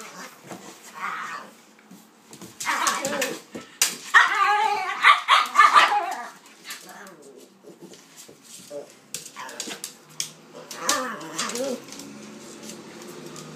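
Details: A pitbull and a King Charles spaniel, named Kaiser and Viki, playing together; a dense run of barks and growling yaps in the middle, quieter barks toward the end, with some human voice.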